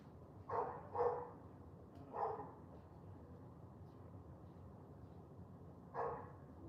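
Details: Wet morning walk with a dog barking: a quick pair of barks, another single bark a second later, a long pause, then one final bark, over soft low outdoor rumble.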